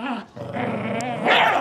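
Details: Two pet dogs, a miniature schnauzer and a Lhasa apso, growl during a long tug-of-war over a rope toy. One dog does not want to share. The growling is continuous, rough and gremlin-like, with a brief dip, then rises louder near the end.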